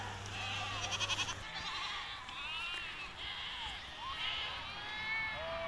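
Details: Hissar sheep at a Tajik summer pasture, 20 May 2023: a run of high, tremulous bleats, some short and some long with wavering pitch, a low hum fading out at the start.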